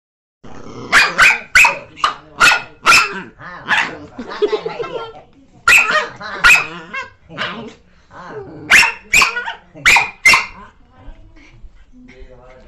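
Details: Angry Chihuahua barking in rapid, sharp, high bursts: a run of about five yaps, a short pause with low growling, two more barks, then another quick series of five, with growly grumbles in the gaps.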